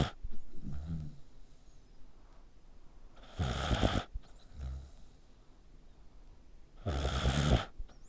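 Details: Sleeping dog, neck pressed tightly, snores much like a person: two loud, raspy inhaled snores about four seconds apart, each lasting under a second, with softer low grunting breaths in between.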